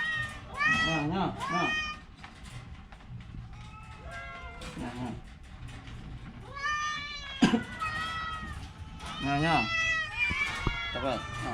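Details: An orange domestic cat, sick with a cough and cold, gives a series of short, harmonic, wavering meows in bursts across the recording, with human voices talking between and over the calls.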